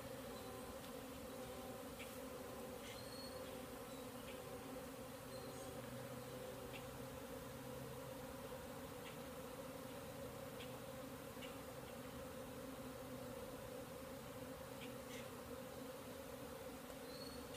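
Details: Numerous bees airborne over an apiary, not swarming, possibly new bees orienting; a constant layered hum of wingbeats that never pauses, with sparse high chirps and clicks overhead.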